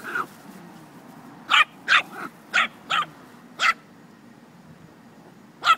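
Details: Chihuahua playing with a puppy, Moxy and Hopper, indoors: a soft opening yip, then sharp high yapping barks, singly and in quick pairs, at irregular gaps over a low background hum.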